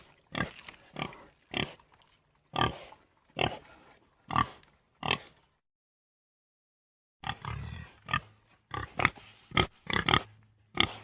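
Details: Common warthog, African, giving short rhythmic grunts about every second, a pause of two seconds, then a quicker run of grunts.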